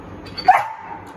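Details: Single clipped bark from a Rottweiler performing the 'speak' command in training, preceded by a short thin whistle-like tone, with the trainer's speech around it.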